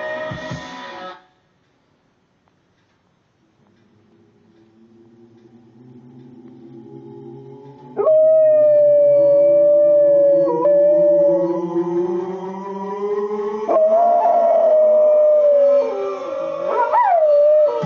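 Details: Female Rottweiler named Bowi howling along to the song Nellie the Elephant by the Toy Dolls, as she does only with this song: a long sustained howl building in pitch, held steady, with wavering breaks and rising peaks near the end.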